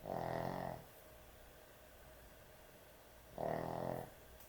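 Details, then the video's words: Heavy snoring from a pet dog asleep at night indoors: two harsh, rattling snore bursts separated by roughly three seconds of near silence and faint room noise. "코골이 강아지의 취침시간"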